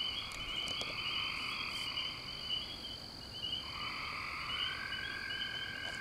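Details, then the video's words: Frog chorus with male and female calls: continuous pulsed trills at several pitches overlap, one rising tone sliding in partway through, all over a steady hiss of night noise. "Frog Calls"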